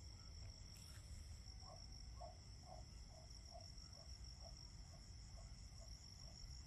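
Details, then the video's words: Autumn cricket chorus: high trills pulse steadily while a lower chirp repeats roughly twice a second, over a low rumble and a short noisy burst near the start. "Autumn Crickets - 9-Hour Sleep Sound - Fall Cricket Song"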